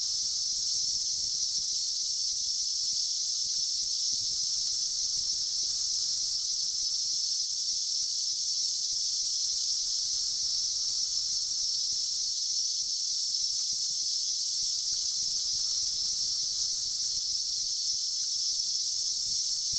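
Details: Cicadas of a 2004 seventeen-year emergence sing as one continuous, high, ringing hiss that barely wavers in loudness from start to finish.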